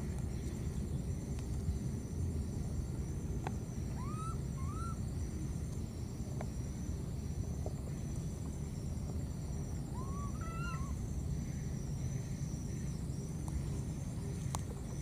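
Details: A lost baby monkey in the wild keeps calling for its mother, giving short pairs of upslurred whistled cries, then a longer gap before another wavering cluster, all over a steady low rumble and thin high hiss.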